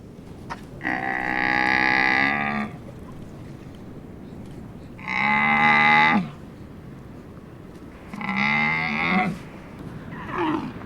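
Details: Camel giving long, moaning, harmonic bellows, three calls of one to two seconds each spaced a few seconds apart, over steady low background hiss.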